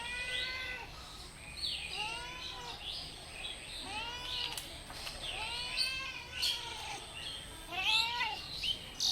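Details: Kitten and cat meows, a cat in distress: a run of about ten arched, harmonic meows over nine seconds, rising then falling, some overlapping as if from more than one animal, over a faint steady high tone and background hiss.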